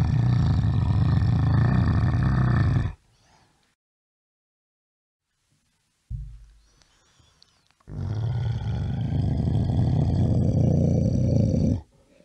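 A bear gives two long, deep, rumbling roars separated by a pause.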